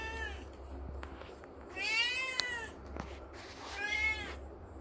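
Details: Kitten playing and climbing in the morning gives three meows: a faint one at the start, then two clear, rising-falling harmonic mews about two seconds apart, over a low indoor hum with a sharp tap.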